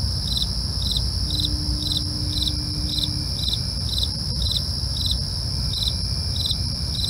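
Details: Night crickets chirping in an even, rapid pulse, roughly two chirps per second, with a constant shrill insect drone above and a faint steady tone and low background rumble.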